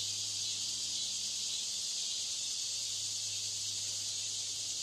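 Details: Continuous sizzling buzz from cicadas during mating, high and hissy, steady in volume across the whole stretch.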